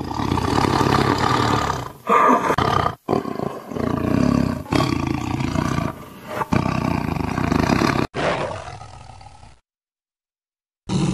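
A tiger gives deep, rasping roars in several loud bursts, each breaking off abruptly.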